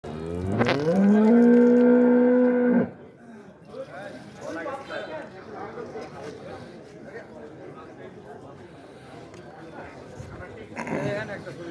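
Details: A large cow, described as a special female with four teeth, gives one loud, sustained moo of about two seconds, steady and rich in overtones. Quiet background murmur follows, and another call begins near the end.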